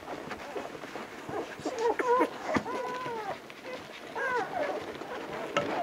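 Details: Vizsla pups of Batai, a few weeks old, recorded 10 January 2013: thin, high, arched whimpers and squeaks in short clusters, with a run of rising-falling whines near the middle and another burst later, over soft background rustle.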